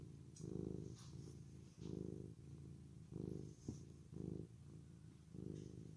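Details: Deep, rumbling purring from a male orange tabby cat after grooming, coming in throbbing bursts roughly every second, with brief gaps between breaths and a soft click near the middle.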